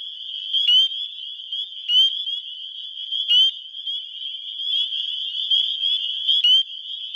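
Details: Spring peepers, males calling to attract females in a Wisconsin spring, recorded on a phone: a dense chorus of high peeps merging into a steady shrill band, with louder upslurred peeps standing out about every second.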